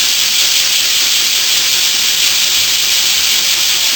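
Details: Many bear cicadas calling together on a summer morning in western Japan, blending into one constant, steam-like hiss that neither rises nor falls across these few seconds.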